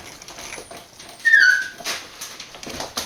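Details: Young Border Collie puppies, born 19 September 2020, at a breeder in Fukiage, Hioki, Kagoshima Prefecture, Japan, recorded 1 November: a single short, high-pitched whine that drops slightly at its end, among soft clicks and shuffling.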